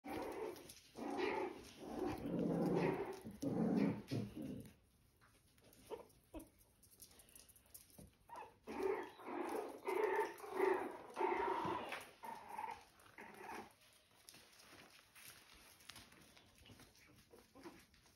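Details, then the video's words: Puppies on a regenerative farm in County Kilkenny, Ireland, playing and growling: bursts of low rough growls and short yelps in the first five seconds, then scattered higher squeaks and whines, with pauses of near quiet between. "Growls, play, feeding and sleep. Puppies just doing their thing"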